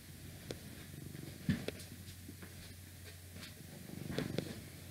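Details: Domestic cat purring close up in a quiet indoor ASMR recording, a soft low rumble with faint pulsing that swells around the middle and near the end, with scattered small clicks and light handling noise.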